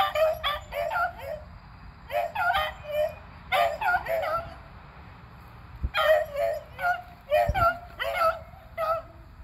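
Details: Beagles Athena and Zeus, both eleven, and three-year-old River hunting squirrels on April 21, 2020; loud, harmonic barks come in three clusters of quick, overlapping yelps separated by short pauses.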